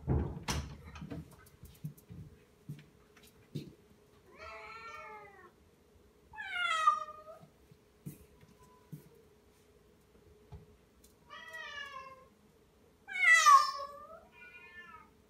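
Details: Anxious cat meowing indoors, recorded 30 March 2018: after some knocking and rustling, five wavering, plaintive meows, some rising then falling, spaced a few seconds apart, over a steady faint hum.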